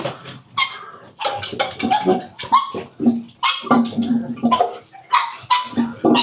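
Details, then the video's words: Pet pugs around their dinner, giving a run of short rough grunts and snorts with a few sharper bark-like yelps, bursts coming roughly every half second amid clattering. "pugs dinner 巴哥晚餐"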